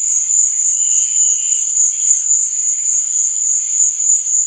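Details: Continuous high, thin cricket trill at night, evenly pulsing several times a second, with a faint, lower chirping layer from other insects underneath.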